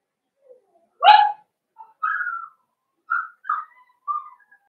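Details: Young blenheim Cavalier King Charles Spaniel puppies, from a New Year's litter of five in the Red Barn Cavaliers pen. A loud yelp opens, then several thin, whistled whimpers, each short and slightly falling, in a quiet room.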